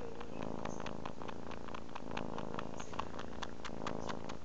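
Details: Tortoiseshell kitten Chelsea suckling on her adoptive mother indoors; a steady, low, rumbling purr with close, evenly spaced pulses runs throughout, with soft rustling and no other voices.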